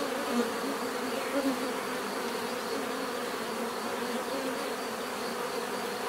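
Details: Bees droning together in a natural setting, a constant low hum with brief louder passes of single bees near the start.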